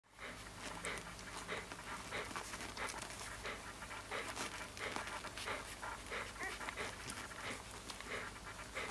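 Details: Siberian Husky puppy panting steadily, quick breathy huffs repeating roughly ninety times a minute, uneven in rhythm, with a low constant hum underneath.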